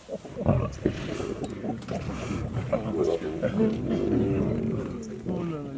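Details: Feeding pride of wild lions in South Africa's Makalali Conservancy, next to Kruger National Park, seen on safari: low, grinding growls and rasping snarls run without pause while the lions feast.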